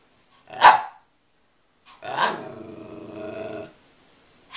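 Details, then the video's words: Two pet Rat Terriers playing indoors with a stuffed squirrel toy; one sharp bark, a pause, then a drawn-out rumbling growl lasting about two seconds. "Rat terriers playing"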